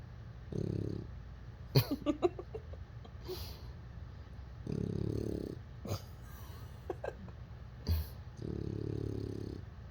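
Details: Lotso the bulldog puppy snoring while asleep and dreaming: three loud, low rasping snores spaced about four seconds apart, with small squeaks, sniffs and clicking noises in between.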